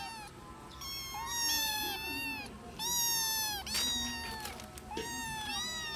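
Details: Small kittens playing together and missing their mother cat, giving loud, high, drawn-out meows with rich harmonics, about four calls, some rising then falling, with short gaps and a faint background hum.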